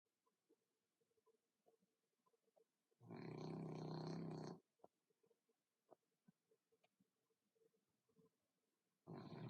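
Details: Pet dog with a flat, smashed face snoring while asleep: one long, loud, rasping breath of about a second and a half, then near silence with faint clicks and a soft hum, another snore starting at the end.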